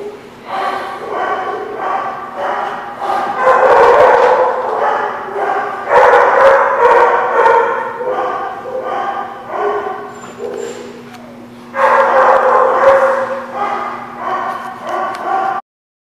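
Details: Group of dogs barking in a lot; sustained chorus of overlapping barks and yelps, a pause near ten seconds, then a renewed burst of loud barking before stopping abruptly.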